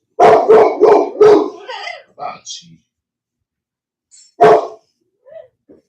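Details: Cane Corso (Italian Mastiff) from a breeder west of Nashville, Tennessee: four loud, deep barks in quick succession, a short pause, then one more single bark, with human speech in between.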